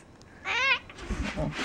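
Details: A grumpy, angry pet cat lets out one clear, strained meow of about a third of a second that wavers slightly in pitch, followed by a woman's soft speech.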